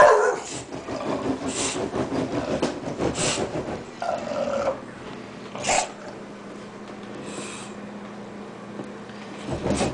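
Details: An 8-month-old bulldog, angry at rollerskates, grumbles and growls low and rough, with a few sharper louder bursts over steady broadband background noise.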